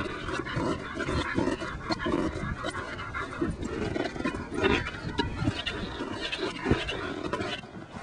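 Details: German Shepherd dog in rough play with a Jolly Ball toy; steady breathy, rasping panting with scuffling, thumping bursts, continuous across the recording with no clear barks.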